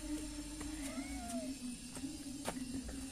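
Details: Cat called a beautiful, charming wild cat with panda-like eyes. It gives a faint, short, arched meow with a gentle wavering rise and fall and soft harmonics, heard over a steady low hum.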